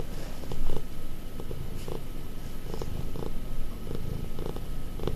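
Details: Affectionate domestic cat, close to five years old, giving a deep continuous purr, low rumbling pulses with a louder swell near the start, then even and steady.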